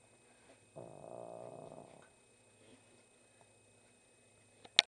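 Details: An old blind dog snoring indoors: one low, rough, buzzing breath lasting just over a second, then quiet room noise and a sharp click at the end.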